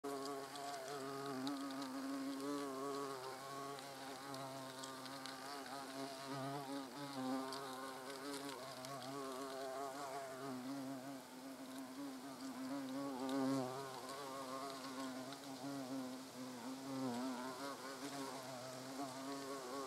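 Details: European hornets (Vespa crabro) at their nest entrance, observed in the wild: continuous droning buzz from several insects with wavering pitch, steady and overlapping throughout.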